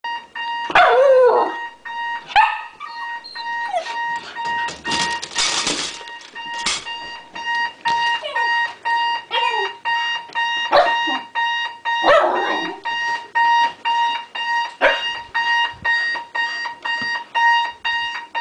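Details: Pet dog howling in the morning when alarm clocks go off, worked up: wavering, falling howls and yelps over steady beeping alarm tones repeating about twice a second throughout.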